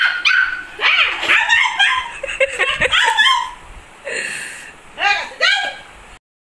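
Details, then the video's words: Angry, fighting puppy giving a rapid run of high yappy barks and yips with rising-falling whines, then a few separate yelps before falling silent. "Funny Puppy Barking Compilation//Angry Dog Barking//Fighting Puppy"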